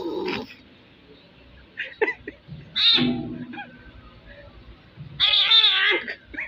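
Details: Strange cries from a kitten: short, harmonic mews, including a sharp one near the middle and a longer wavering call toward the end, over quiet background chatter.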